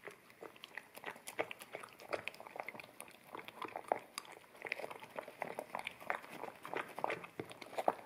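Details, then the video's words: Indoors, an American Akita puppy chews wet kibble off a bamboo plate, captured in stereo with a ZS100 camera; steady moist clicking and chomping runs throughout with a few sharper bites. "Akita Puppy Eating Wet Kibble From Bamboo Plate"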